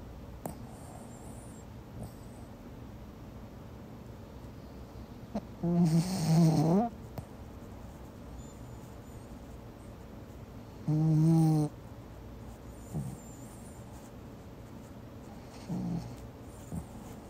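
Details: Pomeranian named Mi Bao snoring while asleep: two loud, rough, buzzy snorts around six and eleven seconds, with a softer one near sixteen, over a quiet indoor hush.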